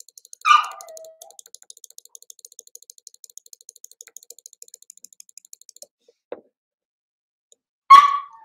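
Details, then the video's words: Cavalier King Charles Spaniel puppies at play in an indoor home puppy pen: two short, high, sharp yelps about seven seconds apart, the first sliding downward into a brief whine, with a faint steady ticking in between. "Cavalier Puppies Live: Puppies Playing"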